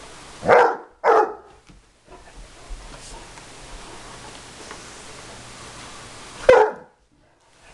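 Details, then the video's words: Bloodhound indoors barking at a vacuum cleaner, two loud deep barks in quick succession, a long quiet stretch of faint room noise, then one more bark. "My Bloodhound Maggie vs. the vaccuum cleaner"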